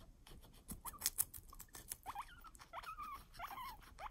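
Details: Guinea pigs squabbling and not sharing, giving short rising and falling squeaks repeated about every half second in the second half, after scratchy patter and rustling, with a person speaking nearby.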